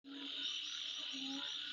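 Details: Insects calling at midnight: a steady, high, shrill buzzing drone fills the air, with a low croaking note swelling twice beneath it.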